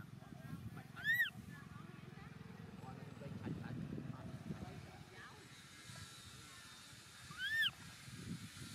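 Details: Infant monkey Momo left by his father, crying pitifully on rocks. Two loud, high, arched wails about six seconds apart, separated by low murmuring sounds resembling distant voices and rustling noise.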